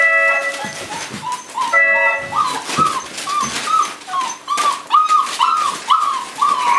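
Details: Boerboel puppies at five weeks old, with their mother Cleo: a run of short whimpers, each rising then falling, repeated about twice a second, after a few seconds of steady background music with tonal notes.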